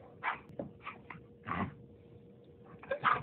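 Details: Playful, energetic Labrador Retriever puppy giving several short, soft barks and yips in quick bursts, with a person talking nearby indoors.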